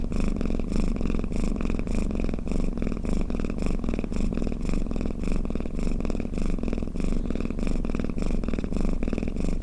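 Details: Domestic cat purring and snoring: a steady, close, low rumbling buzz made of fast even pulses, continuous for the whole stretch with a faint rhythmic swell, and no other sounds around it.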